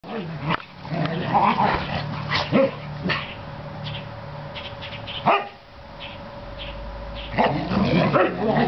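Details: Two Norwegian Elkhounds horsing around roughly in a back yard after a bath: bursts of growling and rough barking, irregular and overlapping, with music in the background.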